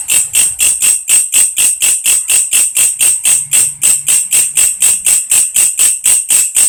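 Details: Grasshopper known locally as walang kerik or belalang kecek, kept as a tutor sound for lovebirds, giving a sustained series of sharp, scratchy buzzing pulses, roughly four per second, very regular and high-pitched, with a faint low hum beneath.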